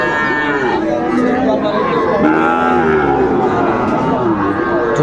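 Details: Cattle at a busy market in Tangail, Bangladesh, on 2 May 2024, where Sahiwal and Friesian bull calves are sold: several overlapping, drawn-out harmonic moos fill the whole stretch, with crowd chatter beneath.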